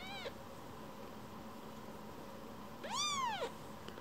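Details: Young rescued kitten coming back to be petted after drifting off; the tail of one meow opens the recording, then a louder, longer meow that rises and falls, with a quiet indoor hum throughout.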